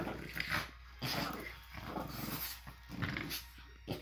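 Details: French Bulldogs playing tug-of-war after breakfast on a Monday morning, giving noisy, rasping growls in uneven bursts about every two seconds, mixed with snorts, scuffles and faint voices.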